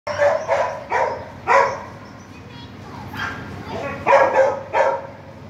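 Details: Golden Retriever, 11-month-old male, in Pathankot; a run of sharp barks, three close together, a pause with quieter sounds, then three more barks; speech follows.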